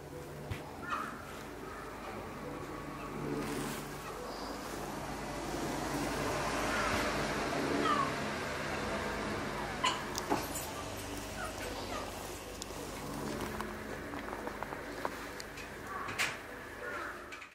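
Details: Several ring-tailed lemurs calling in the evening at Saitama Children's Zoo, Saitama Prefecture, Japan, on 18 January 2018. Scattered meow-like calls rise above a constant noisy background hum, with occasional sharp clicks.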